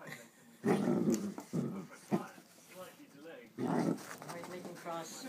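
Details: A Miniature Dachshund plays by the fire on a weekend in Wexford, giving rough, throaty growls in short bursts while a person talks in between.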